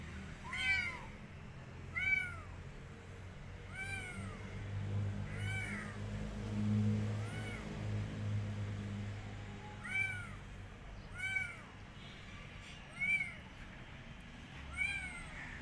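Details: Rescued street kitten that wants to go back outside and refuses food, meowing repeatedly: high arched harmonic meows about every one to two seconds, with a low background hum and faint noise.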